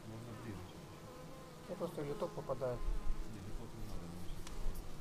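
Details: Bees coming in to the hive, recorded on a Xiaomi Yi action camera: a softer buzzing drone with a cluster of quick pulsing wing tones around the middle, then a steady hum with faint clicks.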